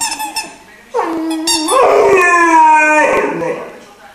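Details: Iarla, a musical three-month-old Irish Wolfhound puppy, gives a sustained singing howl lasting about two seconds: a steady tone that lifts slightly in pitch midway, then fades, after a few soft squeaks.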